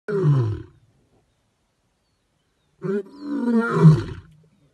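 A lion gives two deep, rumbling roars separated by a pause of about two seconds.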